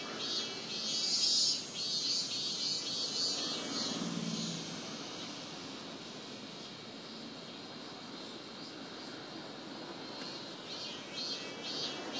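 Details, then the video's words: A robust cicada (minmin-zemi) gives a shrill, pulsing song that rises and falls over a steady buzzing insect chorus, recorded in summer at Rokugo Shrine in Ota, Tokyo. The cicadas began singing around July 20. "六郷神社「ミンミンゼミ」生録"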